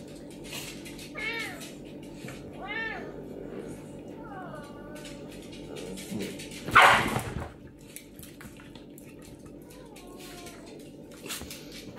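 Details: Pet serval meowing while squabbling with a pinscher dog indoors: a few short, arched, whining meows, one louder harsh burst mid-way, steady background hum throughout.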